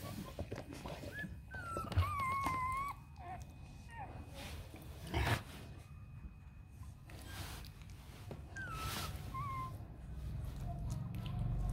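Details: Rottweiler puppies from the litter of Siro and Loki, just over one week old, eyes not yet open and learning to walk; thin high whines rise and fall in short bursts, separated by quiet gaps and clattering bumps.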